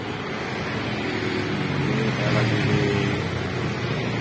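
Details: Steady broadband rumble, like wind, surf or passing traffic, with no animal voice.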